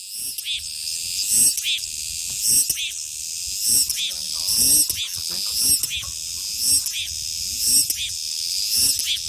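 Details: Cicadas singing in summer: a dense, shrill, continuous high hiss with a rising buzzy pulse about once a second, layered like a chorus of many insects.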